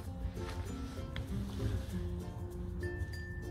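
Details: Soft background music with tonal melody lines and faint clinks plays, with no animal voice.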